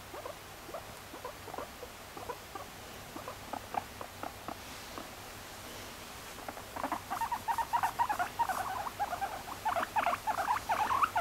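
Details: Pet female guinea pig, adopted at one and a half years old, getting in the way during cleaning; soft pattering footsteps at first, then from midway a fast run of short repeated squeaky chirps.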